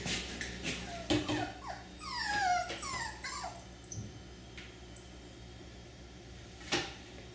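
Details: Male F1b cockapoo puppy, blue merle with blue eyes, three-quarters miniature poodle and one-quarter cocker spaniel: thin high whines sliding downward in a short cluster midway, with a few sharp yips, soft thumps and a steady low hum behind.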